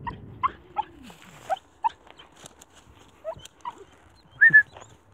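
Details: Homeless puppy left in open fields, reacting to the person who found it: a string of brief thin whimpers spaced about every half second, ending in a louder drawn-out whine, with low rustling underneath.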